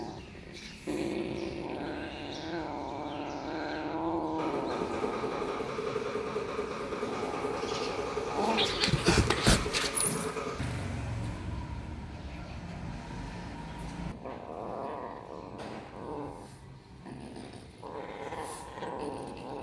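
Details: Kittens, three of them, chasing each other and playing around a house; a drawn-out, harmonic, moaning cry fills the first few seconds, then sharp bursts of scuffling and knocking, with softer rustling noises toward the end.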